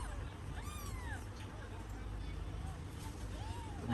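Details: Mother cat feeding her kittens, now grown. Two arched meows sound: one long meow that rises and falls, then a shorter one near the end. A steady low rumble and Vietnamese speech run underneath.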